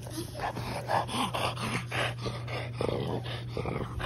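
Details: A litter of French Bulldog puppies at Rosebull Kennel romps in a sunny green yard on December 1; short yips and growly bursts come in quick succession, about four a second, over a steady low hum.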